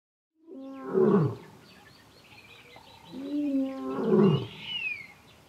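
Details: A male lion in the Kgalagadi, recorded at Urikaruus in March 2018, roars to call his coalition brothers. Two deep, loud, falling moaning roars come about three seconds apart, with a faint higher bird-like note near the end.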